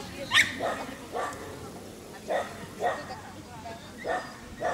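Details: Dachshund linked to a rabbit, barking in brief, clipped bursts about once a second, one shriller bark near the start, then steady mid-pitched yaps over light background noise.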